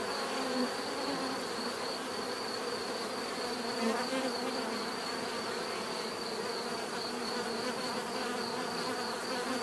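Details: A crowd of bees hums without pause, the low buzz swelling briefly near the start and again around four seconds, over a constant thin high tone.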